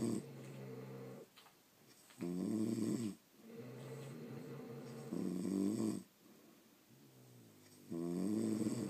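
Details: Snoring from pet French Bulldogs during sleep: heavy, vibrating low-pitched snorts lasting around a second, repeated every two to three seconds, with faint breathing in between and no other sounds.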